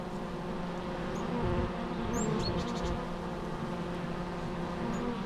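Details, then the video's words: Steady low droning hum of bees, many overlapping wingbeat tones, with a few brief high bird chirps near the middle. "natural bee sounds"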